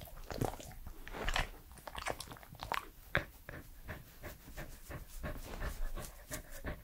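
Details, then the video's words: Pembroke Welsh Corgi Edmundo, male, age 3, eating: crunchy bites and wet chewing in irregular bursts, several loud crisp crunches between quieter mastication, in a small quiet room. "MY CORGI DOG'S FIRST ASMR ✨scratching, mouth sounds and eating sounds"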